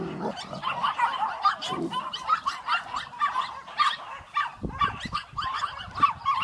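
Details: Two crossbred dogs, a boerboel x American Staffordshire mother and her boerboel x amstaff x XL Bully daughter, play and fight. Rough, snarling growls repeat rapidly with short harsh bursts and scuffling in between.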